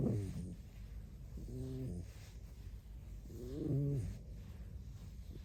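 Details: Tame red fox giving soft squeaks without anyone speaking: three short, quiet, slightly wavering harmonic calls spaced about two seconds apart against low steady room noise.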